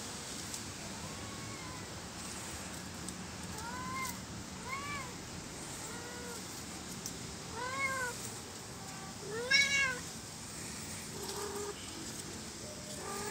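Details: Kittens playing all day long in plant pots give a series of high, arching meows, some rising then falling, repeated irregularly every second or two against a steady background hiss.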